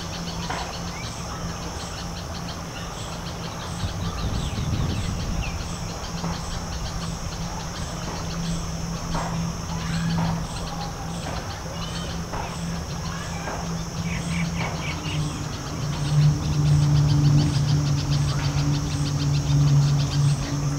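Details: Giant honey bees (Apis dorsata) at fully flowered sunflower blooms in a north Indian summer, collecting pollen and taking nectar. A low droning hum grows louder and deeper toward the end, over steady high pulsing cricket chirps and faint bird calls.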